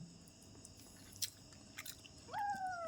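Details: Kitten kept at home, eating: soft crunchy chewing clicks, then near the end a short, high-pitched meow that rises sharply and slides down before it is cut off.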